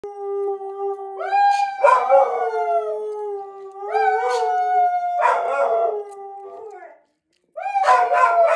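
A dog howls in long, wavering tones that rise and then slowly fall.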